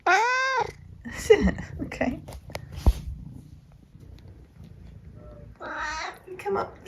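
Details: Eric, an opinionated 14-year-old tabby cat in the UK, gives a clear rising-falling meow indoors in the morning before breakfast, then a softer call later. A person speaks throughout, asking whether he can wait for food.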